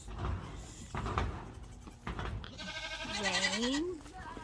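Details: A Nigerian Dwarf baby goat on a farm, with a woman talking first, then one drawn-out, quavering bleat that rises and dips in pitch near the end, over faint background music.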